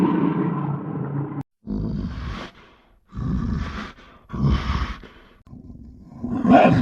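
A bear gives deep, rough growls in several bursts with short pauses between.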